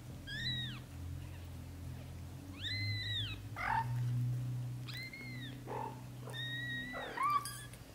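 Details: Young British Shorthair kittens, within their first 30 days, give high, thin arched mews in short bursts, some clear and tonal, others rougher and lower, with a steady low hum running underneath throughout.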